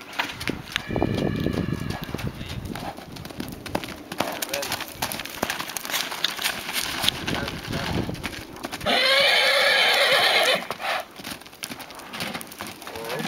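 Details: An Arabian mare gives one loud, shrill, drawn-out neigh of about two seconds near the end, after a stretch of hoof clip-clops and people talking nearby outdoors.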